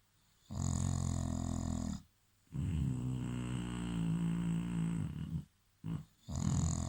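An English Bulldog snores in long, rumbling, low breaths separated by brief quiet pauses.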